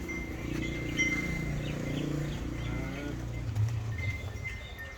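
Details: Nili-Ravi buffalo on a dairy farm in Pakistan, August 2023: a deep, droning moan with stacked low tones that holds for about three seconds, then fades, over steady high thin tones and faint background clatter.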